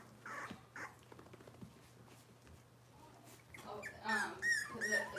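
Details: Cavalier King Charles Spaniel puppies from Robin's litter on an indoor kitchen cam: quiet scuffling at first, then a burst of high, arching whimpers and squeals near the end, with a steady low hum underneath.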